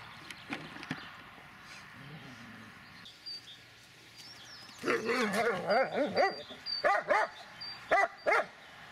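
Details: An 11-year-1-month-old Dobermann gives a rapid series of short, yelping barks with a wavering, whiny pitch, several per second, and is then told to halt. Before the barks come quieter knocks and rustles, with a faint high, steady tone behind.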